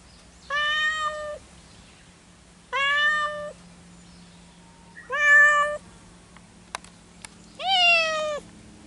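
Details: Pair of cats that cannot reach each other keep crying out: four long harmonic meows every two to three seconds, the last one rising then falling, with a couple of sharp clicks before it.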